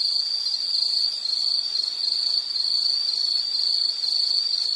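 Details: Insect calling in a nature soundscape: a steady, high, unbroken ringing trill with a faint shimmer above it, continuing evenly through the whole stretch with no other clear sounds.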